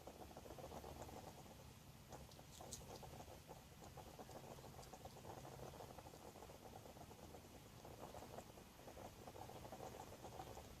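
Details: Garden hedgehog sleeping in a nest box put out for it the previous year, snoring with a fast, steady, rasping pulse like a small pump running, continuous and even throughout in a quiet enclosed space.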